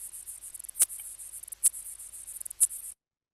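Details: An aquatic insect underwater gives a fast, high, fizzing rattle broken by three sharper clicks, a sound beyond the range of unaided human hearing that needs equipment to be heard.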